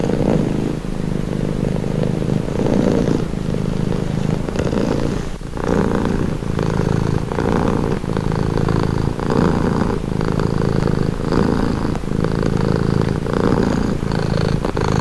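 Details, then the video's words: Calming purr of a domestic cat: deep, pulsing rumble rising and falling with each breath roughly every second, steady and close, with an occasional faint click. "Purring cat | Calming Relaxing Nature Sound"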